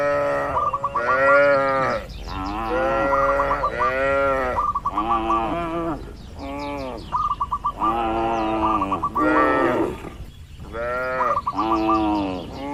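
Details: Tame cattle grazing under herding in a peaceful oil palm plantation in the Indonesian countryside, mooing almost continuously: arched, rich harmonic moos following one another about every second, interleaved with rapid thin high repeated notes.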